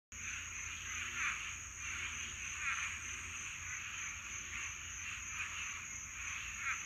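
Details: A dense mating chorus of frogs in a Florida swamp on a summer night, many voices overlapping in a continuous pulsing, rattling din.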